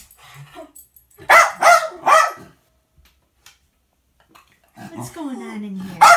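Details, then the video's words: Jack Russell Terrier barking indoors to tell on the cat, three quick barks in a row, with a person's voice and a rising whiny sound near the end. "The Dog Tattles on the Cat"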